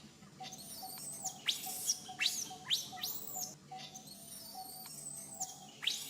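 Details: Infant monkey, always crying when its mother teaches it back style, gives shrill arching squeals that rise then fall, in close series of about six, followed by a long, thin, sustained whine.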